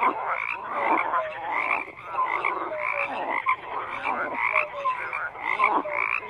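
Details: Frogs croaking in a dense chorus, overlapping pulsed calls with short tonal notes near the middle, rising and falling in bursts roughly every second.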